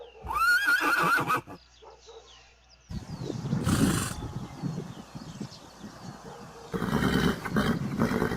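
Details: Horses from a herd neighing: a loud whinny with a wavering harmonic contour in the first second and a half, then a pause, followed by broadband bursts and thudding hoofbeat-like sounds from galloping animals.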